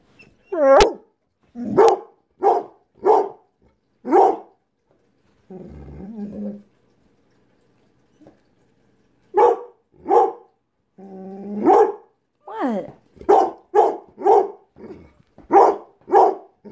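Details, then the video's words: Pit Bull dog 'talking' to his owner to say he wants to go outside: a string of short, sharp barks mixed with longer, wavering, whining yowls that slide in pitch, in bursts with brief pauses. "Pit Bull talking"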